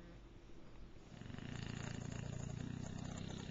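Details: Sleeping bulldog Kwyjibo, on a bed in the morning, starts a snore after a soft breath. It builds into a fast, fluttering rattle, low and steadily pulsing to the end.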